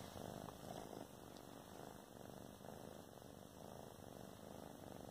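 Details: Two sister cats indoors, relaxed and together: a steady, low rumbling purr continuing throughout, with faint background hiss.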